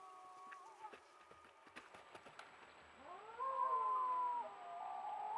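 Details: Wild wolves in Yukon, recorded on a trail camera: a few faint clicks and rustles, then a drawn-out tonal howl that rises and holds steady. Several overlapping voices blend into a smooth, wavering note before it fades.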